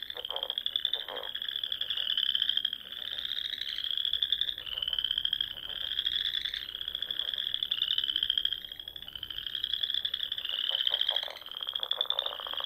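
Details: Many frogs singing in spring among the rolling dunes and small lakes of the Sandhills of Nebraska at dusk: a dense, continuous chorus of high trills, swelling and fading in waves every couple of seconds, with lower pulsed croaks underneath.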